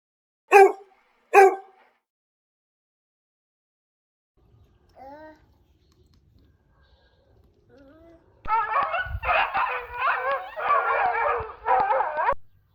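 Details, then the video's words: Village puppy gives two sharp, piercing yips a second apart. After a quiet pause come brief rising whimpers, then a long stretch of continuous, overlapping high whining with faint clicks and a low thump. "Cute Puppy | Dog sounds"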